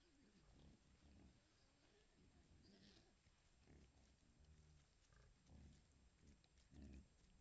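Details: A camera trap in Foreste Casentinesi National Park captures a wild boar group with piglets searching for food: low, soft grunts with short snorts and squeals scattered through the group.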